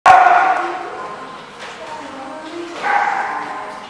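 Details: A dog recorded on 30 October 2015; two sharp barks, one at the start and another near three seconds, each with a sudden onset and a fading tail, with quiet room background between.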